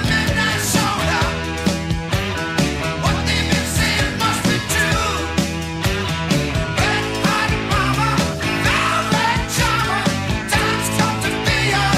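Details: Loud rock music with drums, guitar and singing fills the whole stretch, with no animal voice.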